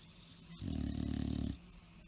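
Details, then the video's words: Tired bulldog sleeping, one brief loud snore: a fluttering, rattling low rumble lasting under a second, pulsing rapidly, against quiet room noise. "tierd bulldogs snoring"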